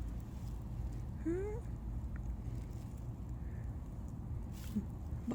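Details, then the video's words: Brief rising meow from Mameow, a returning street cat neutered under TNR, sliding upward in pitch for under half a second, followed by quiet low background rumble and a few faint clicks. "마묘는 컴백 홈 했어요(Mameow is back!)"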